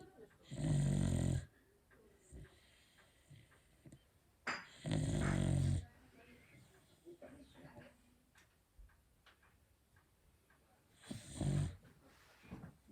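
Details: Beagle sound asleep, giving a loud, distinctive snore. Three heavy, rumbling snores of about a second each come at uneven gaps, with soft breathing and light rustling between them in a small room.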